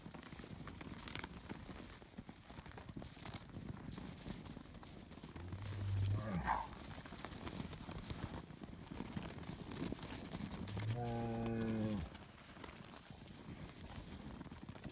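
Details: Highland cattle bull on a farm in Finland, noisy while being given bread: after a long stretch of shuffling, trampling and rustling, a single harmonic moo of about a second rises out near the end, with a fainter low grunt earlier.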